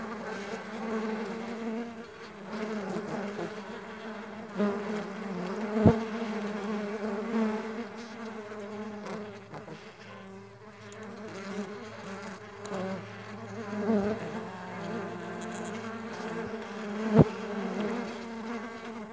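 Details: Steady humming of Mandaçaia stingless bees on the wing, several low buzzing tones blending and wavering, with scattered sharp taps and a quieter dip in the middle.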